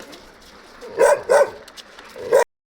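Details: Found wandering a street in Abovyan, Armenia, a stray Gampr whose owner is sought barks twice in quick succession, pauses with faint background sounds, then gives a third bark before sudden silence.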